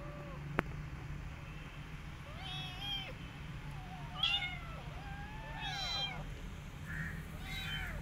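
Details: Rescued mother cat caring for her adopted kitten alongside her own kittens; a run of short, high, arching meows, several overlapping, recurring every second or so over a low steady hum, with one sharp click near the start.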